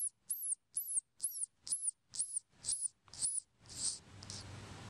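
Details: Baby squirrel that fell from a tree into a back yard, giving very high, arched squeaks repeated about twice a second in a steady run of eight or nine, before the calls fade into a soft broadband hiss.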